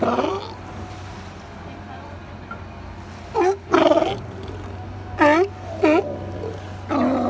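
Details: Resting California sea lions on Second Beach, Powell River, British Columbia: after a quiet stretch, a few scattered hoarse barks come in twos, with a low steady hum throughout.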